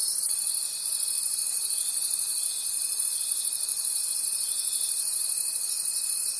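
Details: Crickets in a nighttime forest trilling together in a bright, high chorus that rises and falls regularly, while a clear sustained tone begins just after the start and holds throughout.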